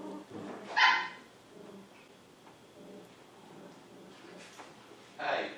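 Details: Two 7-week-old poodle puppies, Honey and Emma, indoors; a sharp high puppy bark near the start and another yip at the end, with low murmuring and rustle in between.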